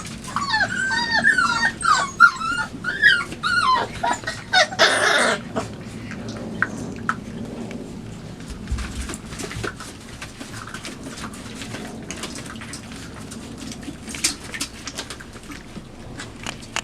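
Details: Five-week-old Labrador Retriever puppies investigate and bite a box set into their night kennel, 23 September 2015, while also romping and eating. Quick, wavering whimpers and squeaks fill the first four seconds, then give way to scratching and rustling.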